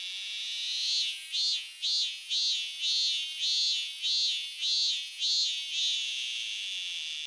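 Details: Robust cicada (Minmin-zemi) filmed in Japan in summer 2023, singing a pulsing series of about ten loud buzzy bursts roughly every half second, each rising and falling, over a steady high drone.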